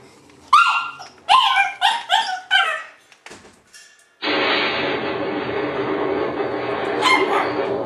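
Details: Shiba Inu puppies giving a quick series of five or six loud, high yelps with rising and falling pitch, then softer squeaks and a break before a steady background hiss with one more yelp near the end.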